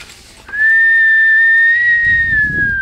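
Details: Siberian Husky named Bubble howling in its own manner: one long, sustained, pure high note held for over two seconds, barely wavering, then dropping slightly at the end, with a low rumble beneath near the close.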